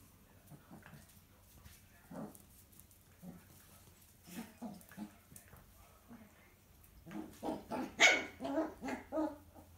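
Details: Six-week-old miniature poodle puppy being disciplined by its mother indoors; soft scattered yaps early, then a louder burst of quick, sharp barks and growly yelps near the end.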